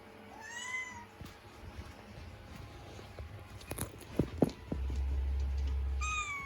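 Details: Scottish Fold kitten indoors, stuck on top of a curtain rail and unable to climb down. Two short, arched meows with stacked harmonics, one near the start and one at the end, over a low hum and a few sharp clattering knocks.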